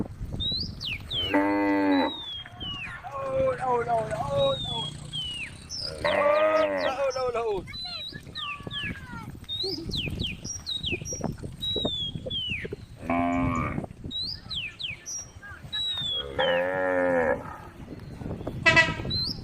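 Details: Group of female cows on a road, calling the herd: repeated deep harmonic moos from several animals, about five calls in twenty seconds, amid constant chirping birdsong.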